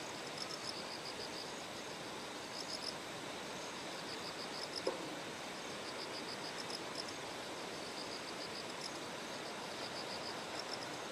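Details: Bell crickets singing by terraced rice paddies in Kikuchi, Kumamoto Prefecture, Japan, on the morning of September 6 as Typhoon No. 10 approached. High, bell-like pulsed bursts repeat in runs of about a second over a steady rush of flowing stream water.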